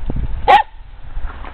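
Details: A pet dog gives a single sharp bark while being asked to sit for a treat, barking instead of obeying, over low indoor rumble.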